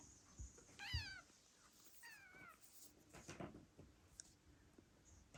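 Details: A 6-week-old male Ragdoll kitten, raised indoors, gives two thin, high meows, each sliding down in pitch; he is probably looking for food.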